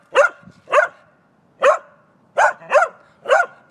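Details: Pembroke Welsh corgi barking while playing disc golf, six sharp barks in uneven bursts over four seconds, spaced about half a second to a second apart, with a faint whimper between the first two.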